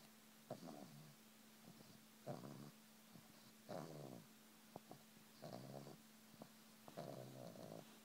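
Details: Female pet pug making low, humming "mmmm" moans while being massaged, voiced groans repeated about every one and a half seconds, each roughly half a second long, with a steady background hum and soft rustling between them.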